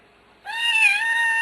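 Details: Domestic cat from a group of pet cats, one named Yappy, in a single sustained harmonic meow about one second long that starts abruptly after near silence, steady in pitch with a slight dip in the middle.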